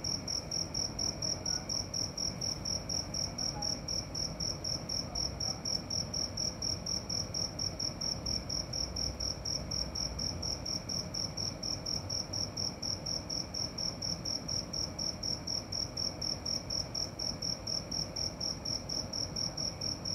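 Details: Steady nocturnal cricket chorus from a single singer: sharp high chirps repeated around four times a second without pause, backed by a gentle low rumble.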